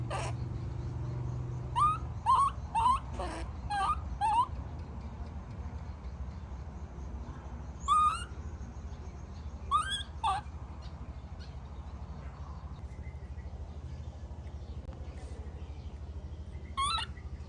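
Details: Tantrum cries of a baby monkey when its mother leaves. A quick cluster of short, rising, squealing wails is followed by sparser single cries, all over a constant low hum.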